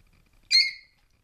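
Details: Basenji puppies together in a basket; one short, high, squealing squeak lasting about a third of a second, bending up then down with bright layered overtones, set against a quiet, still background.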